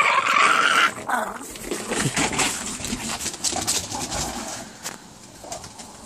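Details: Boston Terriers growl and snarl in short, rough bursts while fighting over an orange toy.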